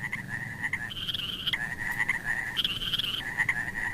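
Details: Frogs among mossy wet rocks, with snails nearby: a dense, pulsing trill that holds a mid pitch, then jumps to a higher, brighter trill around the one-second and two-and-a-half-second marks before dropping back, with steady background hiss.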